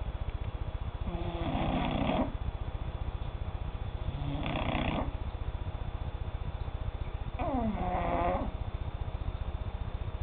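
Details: Cat asleep and snoring, three drawn-out raspy breaths spaced a few seconds apart, with a constant low droning background.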